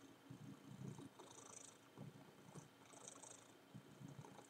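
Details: Purring domestic cat indoors while mounting a worn teddy bear; low rumbling pulses in bursts with rustling and soft high hissy noise between.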